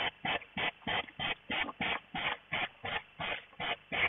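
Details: Hedgehogs in mating season at a hedgehog feeding house at night snort in steady, breathy puffs about three times a second, mainly the females, while circling each other in courtship.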